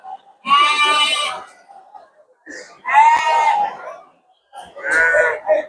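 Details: Sheep at the Tanjung Sari livestock market in Sumedang, West Java, on 11 January 2025. Three loud, quavering bleats, each about a second long and separated by short pauses, with faint human voices in between.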